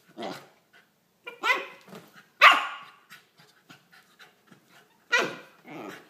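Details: Corgi puppy at play with a ferret late at night: short harsh yaps and breathy grunts in clusters, one sharp loud yelp near the middle, light scrabbling noises in between.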